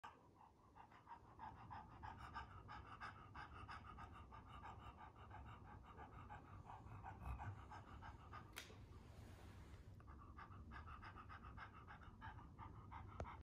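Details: Bulldog panting softly and rapidly, about three breaths a second, in a steady rhythm under low background rumble. A brief hissing burst comes near the middle.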